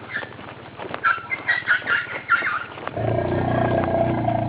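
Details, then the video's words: A fearful female Asian elephant, heading to bathe with a young elephant, gives a rapid string of high, squeaky chirps and then a steady low roar before her mahout calms her; 27 September 2012. "elephant making noise for fear.ゾウさん、大騒ぎ."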